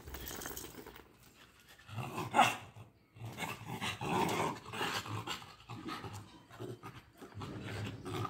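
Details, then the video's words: A Pomeranian and a Lhasa apso scuffle during a fight. Harsh panting and low growls rise and fall in bursts over several seconds, with brief quieter gaps between rounds of play-fighting noise. "Fight: Pomeranian vs Lhasa apso || How toy breed fights || Best Dog fight ever"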